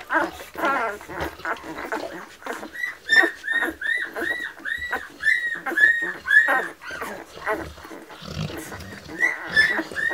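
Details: Labrador Retriever puppies from a litter born 22 February 2017, nine days old, whining in high squeaky squeals that rise and fall in arches. Several pups call in quick overlapping succession, with softer snuffling between bursts.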